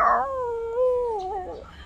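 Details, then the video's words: Female puppy "talking": a drawn-out, tonal howling moan held steady for over a second, with a slight rise and wavering dip near the end before fading. "now she's talking"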